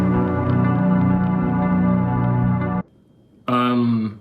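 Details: Sustained organ-like keyboard chords, a brief pause, then a brighter tone resumes; no animal sound is heard.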